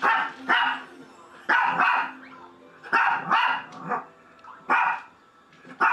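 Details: Shih Tzu barking indoors; sharp, mid-pitched barks in loose pairs and singles, about seven bursts over six seconds, irregularly spaced with short quiet gaps.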